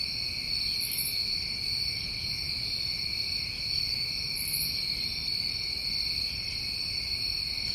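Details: Summer night in New England with a dense cricket chorus: constant high-pitched trilling layered in bands, punctuated by two short, sharper chirps from a higher-pitched insect.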